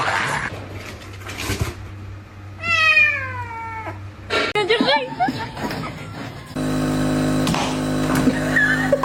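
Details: Pet cat giving a single descending, somewhat strained meow of about one second amid room noise and brief voices, followed by background music entering toward the end.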